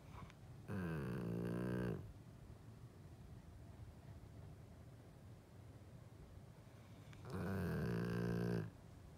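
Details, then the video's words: Sleeping golden retriever snoring indoors: two loud, drawn-out rumbling snores, each about a second long and roughly six seconds apart, with deep buzzy tones and a quiet breathing pause between. "Golden Retriever Snore"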